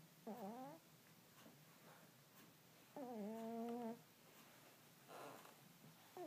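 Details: A sleeping domestic cat snoring indoors: two faint, squeaky, voiced breaths with bending tones about three seconds apart, against quiet room hiss.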